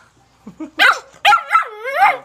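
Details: Young black Labrador Retriever puppy: a few soft low whimpers, then three loud high yelping barks, the last drawn out into a wavering whine.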